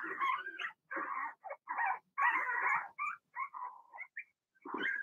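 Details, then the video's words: Young Cavalier King Charles Spaniel puppies, Blenheim litter of two females and four males, in their home puppy pen: dense overlapping yaps and rough barks, then thinner whimpering yips trailing off before one last burst. "Cavalier Puppies Bark, Howl"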